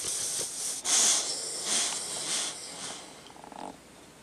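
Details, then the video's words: Sleeping dog named Tucker giving loud, close, breathy snores: harsh airy rasps roughly every second, the last one fading into a soft fluttering rattle. "Tucker sleeping and snoring"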